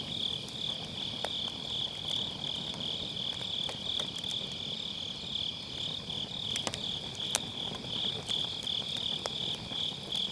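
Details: Autumn-night grass insects trill continuously in a high, shimmering chorus beside a crackling round fire pit, captured on a Sennheiser MKE600 with low cut; burning wood snaps and pops throughout.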